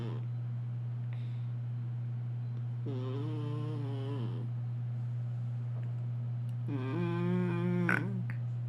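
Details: Sleeping kitty snoring: two drawn-out, tonal, slightly wavering snores of about one and a half seconds each, separated by quiet breathing, over a steady low electrical hum throughout.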